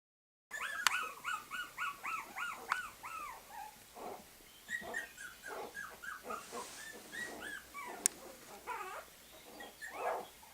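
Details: Puppies whimpering and squealing in a rapid run of high, arched cries, many short yelps overlapping and repeating steadily throughout, with a few faint clicks.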